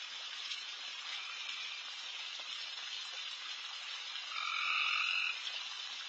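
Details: Night chorus of frogs, insanely loud throughout a backyard where deer are feeding late: a thick, sizzling wall of calls, with one nearer trill swelling above it for about a second near the end.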